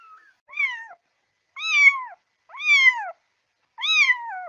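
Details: Kitten meowing meant to summon cats: four clear, arched meows, each about half a second long, rising and then sliding down, about one per second. The surroundings are quiet.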